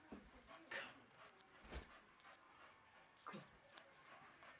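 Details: Staffordshire bull terrier playing on the stairs; three short, rough, whimpering grunts spaced about a second apart, then quieter rustling and faint background noise.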